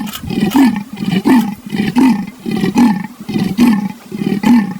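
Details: Leopard giving a rough, rasping call: a steady series of hoarse, sawing grunts, each about half a second long, repeated roughly every 0.7 seconds with short breaths between.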